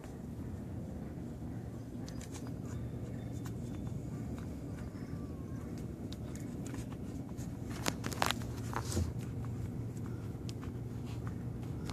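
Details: Quiet indoor hum with soft footsteps, light knocks and a few faint voice traces, and no barking or other animal sound.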